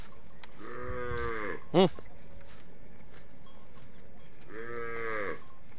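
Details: Cow for sale, second lactation, two-toothed, with a heifer calf; two long, wavering moos about four seconds apart, a brief sharper cry between them, steady low hum behind.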